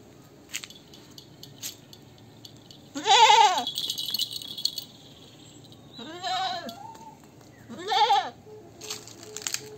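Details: Goat repeating wavering, quavering bleats three times within about five seconds, the first loudest, with rattling and clattering noises heard between and after the calls.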